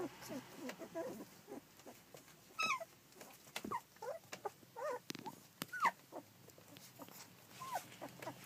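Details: Fourteen-day-old Collie puppies, filmed 9 July 2012, give scattered thin, high whimpers that rise and fall, a few sliding down in pitch, amid soft rustling and shuffling.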